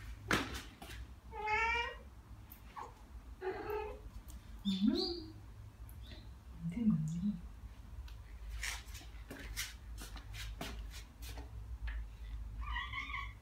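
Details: Two Ragdoll cats, Ao and Aki, aged one year and nine months, answer birdsong with short harmonic chirps and trills, some broken into quick stuttering bursts, scattered among low murmurs and clicks over steady low indoor hum.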